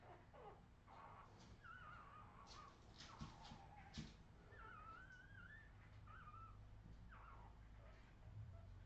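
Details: Redwing Australian Terrier puppies from 2018 whining in a run of high, wavering squeals that slide up and down in pitch, mixed with scattered clicks and knocks over a low background rumble.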